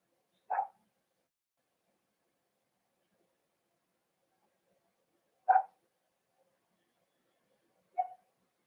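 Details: Cavalier King Charles Spaniels indoors at a puppy pen where puppies meet bigger dogs: three sharp single barks, spaced about five seconds and then two and a half seconds apart, with silence between them.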